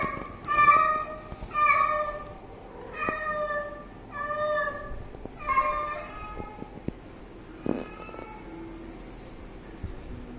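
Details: Kitten meowing while drinking water: five clear repeated meows in the first six seconds, then softer scattered calls, clicks and light handling noise.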